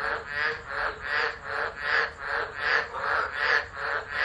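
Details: Tropical frogs in full chorus at Driver, Northern Territory, Australia, during a tropical low on 13 December 2013, phone-recorded. Rough grating calls rise and fall in regular waves, about two each second.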